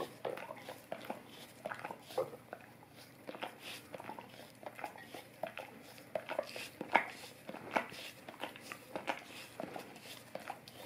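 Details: Long run of a golden retriever licking an Orapup tongue-cleaning brush for fresher breath, indoors: sticky wet clicks and slurps repeat irregularly, with a few sharper smacks standing out.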